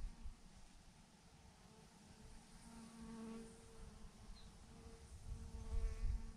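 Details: Thousands of honey bees clumped on a branch produce a steady buzzing hum with rising and falling tones as bees fly near, plus low rumbling bumps toward the end.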